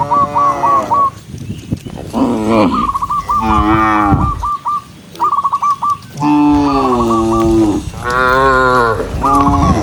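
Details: ['Tame cattle herd walking together along a countryside path at sunset, mooing to call other cows home; several overlapping long, harmonic moos, some rising then falling, interleaved with a higher stuttering repeated note.']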